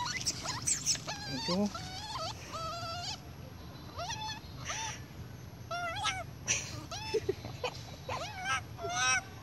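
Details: Spoiled baby monkey crying loudly for milk from its mother: repeated high, wavering, harmonic wails and squeals, some rising and some bending downward, in quick bursts through the clip, with people talking in the background.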